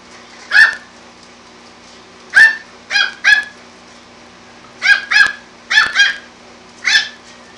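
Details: Yorkie puppy pestering a calico cat, letting out sharp, high-pitched yaps singly and in quick pairs, spaced irregularly over several seconds against a quiet room hum.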